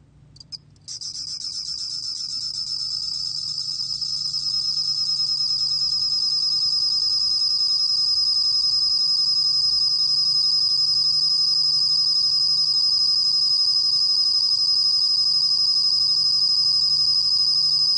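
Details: Bell cricket song from National Institute of Biological Resources material, 2020: a high, steady, finely pulsed ringing trill. It starts abruptly, swells over the first seconds, then holds at an even level throughout, with a faint low hum beneath.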